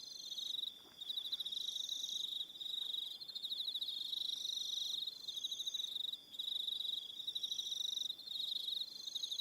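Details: Crickets calling in the evening on Aroha Island, New Zealand, a constant shrill pulsing chorus of several layered trills, the level dropping briefly a few times before resuming.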